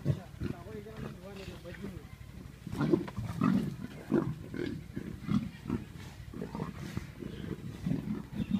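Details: An aggressive leopard gives low, rasping pulses repeated roughly every half second. The deep grunts rise and fall in loudness, and human voices murmur faintly underneath.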